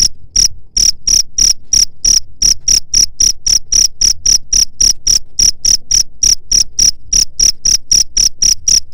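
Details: Cricket chirping, played as a sound to drive away rats: loud, rapid, evenly spaced high-pitched chirps, about four per second, each a short tonal pulse, continuing steadily with no other sounds.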